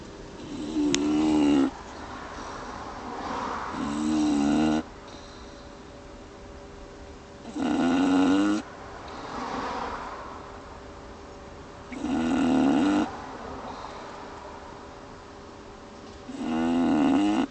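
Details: Roxy, an English Bulldog, asleep in a car on the drive home, snores loudly and rhythmically: harsh, rattling, throaty snorts roughly every four seconds, with softer breathy rasps between them, over constant low road and engine hum.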